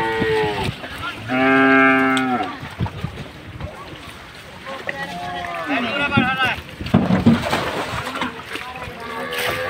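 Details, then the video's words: Big cattle being unloaded for Qurbani Eid in Bangladesh, giving loud drawn-out harmonic moos, one long steady bellow then a wavering, falling one, over background music, voices and handling noise. "Big cow unloading"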